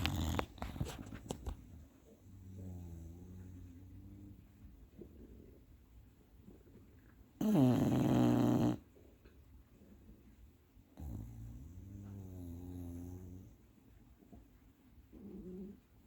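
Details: Napping bulldog snoring indoors: two drawn-out stretches of low, buzzy snoring, each about two to three seconds long. A loud burst of noise falls between them, with faint thumps at the start and a brief snort near the end.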